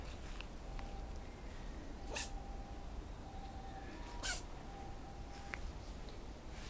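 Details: A cat named Tora gives two big sneezes toward the end of the recording: sharp, broadband bursts about two seconds apart, set against a steady low hum and a faint thin tone.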